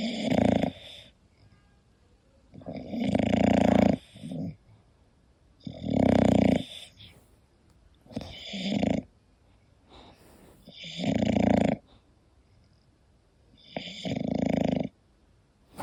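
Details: Sleeping English bulldog named Koda snores steadily indoors. Each rasping, throaty breath lasts about a second and repeats roughly every two and a half to three seconds, with near silence between, six snores in all.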